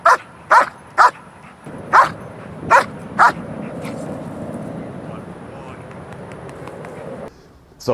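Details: Axel, a dog in protection training on a leg exercise, barks six times in quick, uneven bursts over about three seconds, followed by low background rumble and a final sound at the end.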